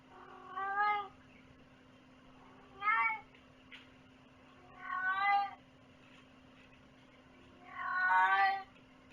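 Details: Indoor house cat meowing four times at intervals of about two to three seconds, each call harmonic and slightly wavering, the last one longest, over a faint constant hum.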